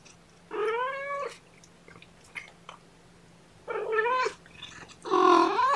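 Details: Kittens of Seraphina, a 1.5-year-old rescued mother cat with four kittens at Purrfect Pals after transfer from a Lewis County, WA shelter, meow indoors at lunchtime while being handled; three drawn-out, harmonic-rich mews, the last loudest and highest.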